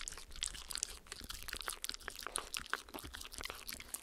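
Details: Close, crisp licking as Spencer, a Shetland Sheepdog, works peanut butter and coconut oil off Perspex alongside Oreo, a miniature Schnauzer. Sharp sticky clicks crackle rapidly and irregularly throughout. No talking.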